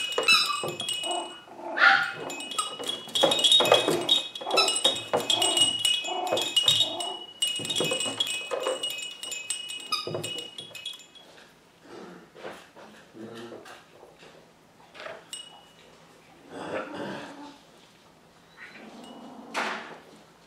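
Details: Seven-week-old poodle puppies from Rainey's litter play together, giving rough, scrappy growly bursts and yips packed densely through the first ten seconds, then sparser. Bright metallic tinkling like chimes or clinking tags rings over the scuffle.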